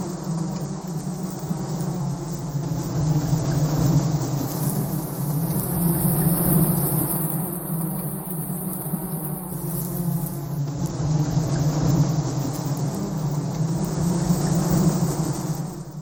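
A dense, steady hum of many bees buzzing together as a swarm.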